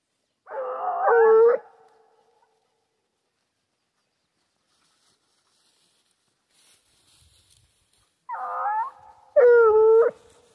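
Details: Foxhound baying while hunting wild boar: two bursts of howling, each a rising, wavering, harmonic-rich bay of about a second, separated by a long quiet gap with faint rustling.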